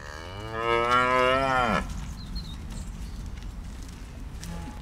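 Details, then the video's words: A farm cow gives one long, loud moo lasting nearly two seconds, rich in harmonics and falling at the end, then a quiet background hum. "de Blije koe"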